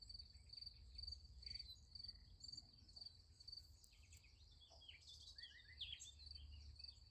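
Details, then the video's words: At night beside a sunflower field, crickets keep up a high, shrill chirping pulsed about twice a second, with some scattered sharp clicks and short chirps partway through and a low background hum. "Nice Sunflower Field with Crickets Sound Effect"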